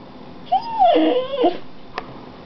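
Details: Pet dog indoors, one of two named Gwenny and Rhett, letting out a drawn-out whining yelp that rises, wavers and falls over about one second, followed by a faint click.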